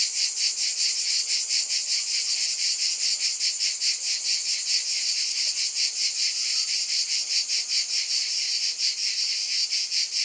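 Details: Cicadas keep up an intense metallic buzz with a rapid, slightly uneven pulsing rhythm; only insect sound throughout.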